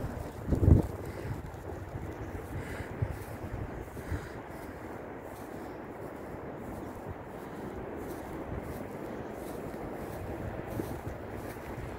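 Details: Steady wind rumbling across the microphone with a brief bump near the start; no animal voice is heard.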